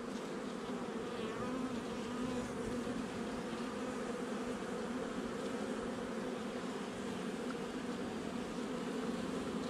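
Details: Continuous buzzing of a honey bee colony during a hive inspection on 8 July 2020, the nuc installed just over a month before; an even, droning hum with no pauses and little else heard.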